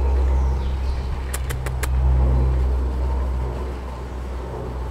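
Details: Steady low engine rumble from passing traffic with a brief burst of four sharp clicks near the middle and no animal voice.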